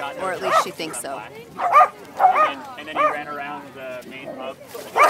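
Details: Corgi unsure about a boat at an August 2012 corgi meetup on Fiesta Island, San Diego, giving a string of short, harmonic, rising-falling barks, each roughly half a second to a second apart, while people talk close by.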